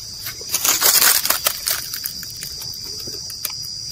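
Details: Cows and bulls grazing, walking and tearing at grass: a burst of dry, crunchy ripping and chewing noises in the first two seconds, then scattered quieter crunches, over a steady high insect hum.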